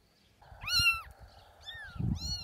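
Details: Abandoned baby kitten found in wet grass next to a shelter in the rain, giving a high arched meow followed by two shorter ones, over a steady low hum and a woman's soft coaxing voice.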